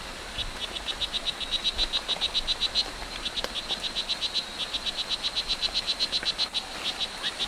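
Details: Wild O. pumilio, the strawberry dart frog, at Hitoy Cerere Biological Reserve in Costa Rica, calling a fast, steady train of short, high, buzzy chirps, roughly four each second, with a brief break midway, over constant insect hiss.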